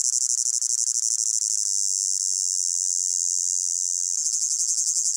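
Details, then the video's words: A meadow cricket chorus on a hot summer day, a piercing steady trill that turns more distinctly pulsed in the final second, from blended ambient layers. "Sound of Crickets in a Hot Meadow"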